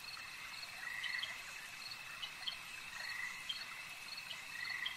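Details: Lakeside frog chorus of buzzy croaks and quick ticking notes, several overlapping, over a continuous high whine.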